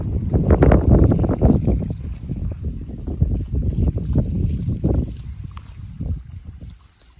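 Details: Golden Retriever walking beside a river before rain; rapid rhythmic huffing breaths, chugging like a steam locomotive, a few per second, low and breathy, fading out near the end over a murmuring stream.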